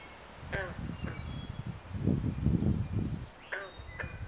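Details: At a Southampton, New Jersey Pinelands pond in mating season, carpenter and green frogs give brief banjo-like plucks near the start and end, separated by a stretch of low rumbling and rustling.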